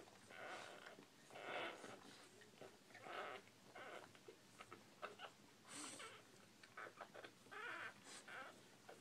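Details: Squealing cries from newborn Bull Pei puppies, bleat-like wails rising and falling, roughly seven bursts over nine seconds mixed with shorter squeaks and small rustling noises indoors.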